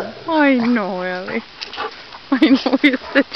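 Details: Bernese Mountain Dog giving a drawn-out, wavering howl-like whine with a gently falling pitch that lasts about a second, followed by quieter short yips and human speech.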